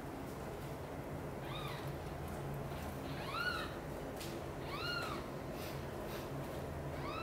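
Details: Kitten meowing loudly, heard by mother cat Xaxa, who runs to mother cat Chan's nest and carries kittens Miracle and Cream to her own nest; four high, arched meows about every 1.6 seconds over a steady low hum.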